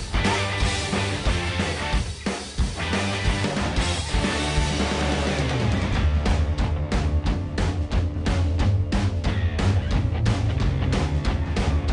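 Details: Driving rock music with guitar and drum kit throughout, no animal voices.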